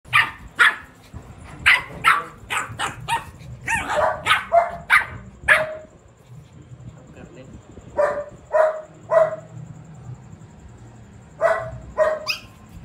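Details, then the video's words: Shih Tzu pet dog in an 'attack' mode gives rapid bursts of sharp, high barks, a dense run of about a dozen over six seconds, then shorter groups of three after pauses, with a person murmuring nearby. "Shih-tzu का हमला"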